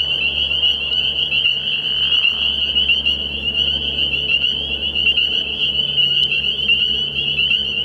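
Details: Spring peepers at a nighttime frog pond early in the year, their shrill high peeps fused into a ringing chorus over a steady low hum throughout.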